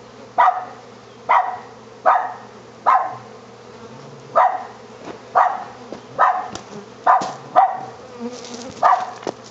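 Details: Wild honey bee swarm being captured in El Sobrante, California, on April 20, 2013: a low steady hum runs throughout, broken by sharp rhythmic bursts of louder buzzing roughly once a second.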